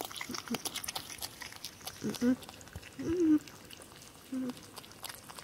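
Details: Spike, a female porcupine, making happy sounds while she eats on Halloween: three short, low, nasal whining notes spread over a few seconds, separated by soft clicking and rustling chewing noises.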